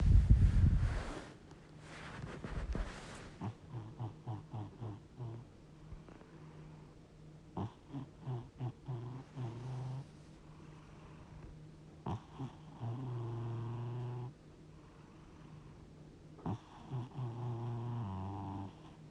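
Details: Sleeping domestic cat, stated to be 60 years old, snoring: low droning breaths alternate with bursts of rapid rattling pulses. A loud rustling noise fills the first three seconds.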